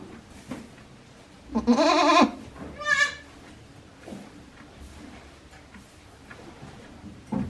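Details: Newborn goat kids, one day old, born to Hikari at Yoshigake farm, Japan, 17 April 2024: a loud wavering bleat about half a second long, then a second shorter, higher bleat, with soft rustling between.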